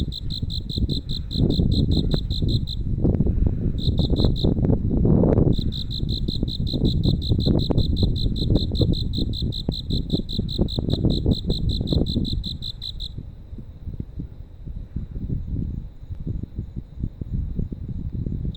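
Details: Crickets echo along a night roadway in Nerima, Tokyo. A loud, rapid, high-pitched pulsed trill runs almost continuously with two brief breaks, then stops abruptly two-thirds through, leaving only heavy low traffic noise.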